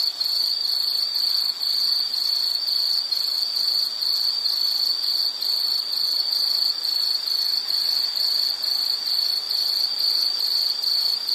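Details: Insect sound for study and sleep: a high ringing trill chopped into quick regular pulses, roughly two per second throughout, over soft background noise.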